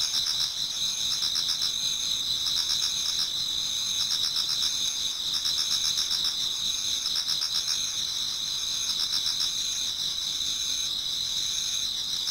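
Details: Many insects singing through an autumn night towards dawn in a Japanese garden: steady shrill high-pitched trilling from several callers, with fast repeated chirping pulses and no other sounds.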